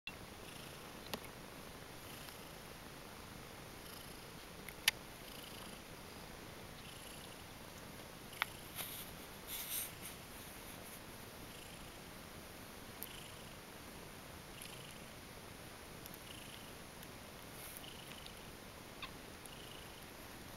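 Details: Kittens purring as they settle into a sleeping pile after a feed indoors; a soft, steady low rumble runs throughout with a few faint clicks and light rustles from movement.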